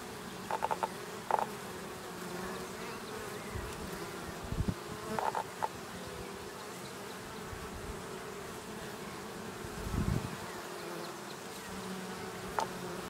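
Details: Honey bees around a Langstroth hive in Očová, about 430 metres, on 6 April 2018: steady low hive hum, several bees buzzing past close by, and scattered light clicks.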